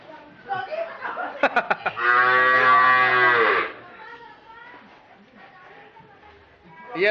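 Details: Cattle being fattened for 204 days in a farm shed for a Qurban project, heard during weighing: several sharp knocks, then one loud, low, steady drawn-out moo lasting about two seconds, followed by quieter murmuring voices and a rising sound at the end.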